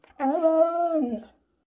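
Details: One of the pet Siberian Huskies Max and Bombón produces a short, throaty woo-like call, steady in pitch, then dropping at the end, heard indoors.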